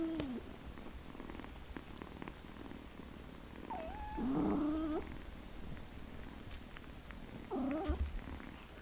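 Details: Kittens meowing: a brief downward meow opens, then a longer wavering cry and a last short rising meow come after quiet gaps filled with faint rustle.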